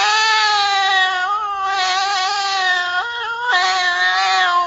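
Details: Cat (Felis catus), mating call: female in heat calling for a mate.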